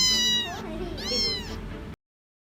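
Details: Sick, lone kitten, tiny as a bar of soap, left in a box during a trip to Malaysia, crying for help: two loud, desperate, arching meows, each about half a second, over a low steady hum.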